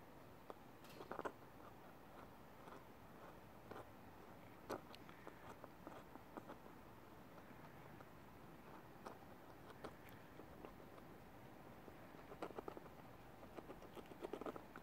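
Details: A European hedgehog, treated in early December for heavy lungworm infestation, breathes with a low, continuous lung rumble and faint clicks and crackles, residual sounds typical after deworming that are still healing.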